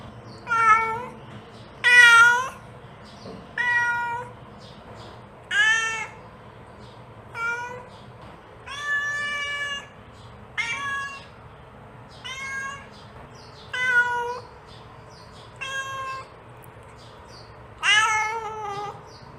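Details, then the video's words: Mother cat calling her kitten, a domestic cat: about eleven short harmonic meows spaced roughly every one to two seconds, some bending up then down, with a faint steady hum underneath. "The Sound of a Mother Cat Calling Her Child"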